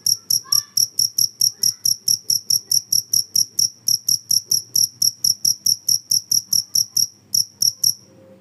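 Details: Cricket sound played to chase away rats: a loud, high chirp repeated about twice per second, with a short pause near the end before the calling stops.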